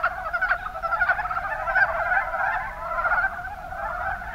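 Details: Many mountain brown frogs, Rana ornativentris, in Kumamoto's Kuma Basin, Japan, give a busy chorus of short rattling croaks, a few sharper notes standing out early before the sound softens in the last second.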